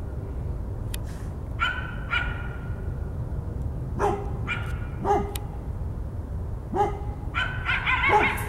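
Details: A dog gives short, harmonic barks in loose pairs over a steady low rumble, in a recording of coyote and dog barking.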